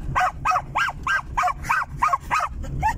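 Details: Excited barking from a male German Jagdterrier, a pet dog happily riding in a car. Nine bright, arching yelps come in a fast even series, about three per second, with low engine drone beneath.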